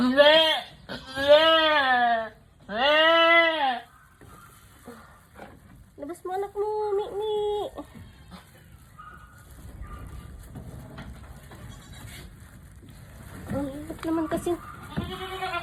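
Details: Doe in hard labour bleats twice loudly in quick succession, strained and wavering, then a softer wobbling cry mid-clip and more bleats near the end, while a person speaks encouragingly in Filipino between calls.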